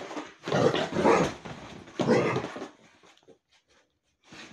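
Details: Rhodesian Ridgebacks wrestling and rough housing indoors on a rainy day: two bursts of harsh, rumbling play growls and snarls, each about a second long, with scuffling, then near quiet.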